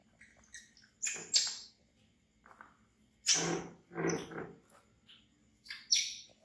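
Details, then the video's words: Baby monkey Bean, an orphan taken in by villagers, screaming in fright at a crocodile: short harsh shrill bursts, three or four loud outcries separated by quieter pauses. "Baby Monkey Bean Screaming Loudly And Run To Hugnig Chair Cos He Afraid A Crocodile"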